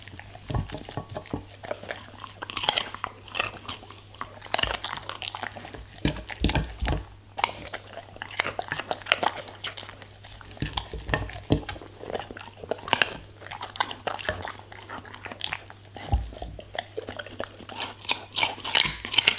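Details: Indoor recording of a German Shepherd eating vegetables and fruits: dense, loud crunching and wet chomping in clustered bursts with a few heavy low knocks, over a faint continuous hum.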